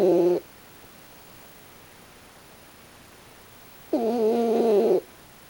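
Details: Sleeping raccoon dog named Pochi snoring with an odd face. Two short, tonal, nasal snores, each about a second long, come roughly three and a half seconds apart with silence between them.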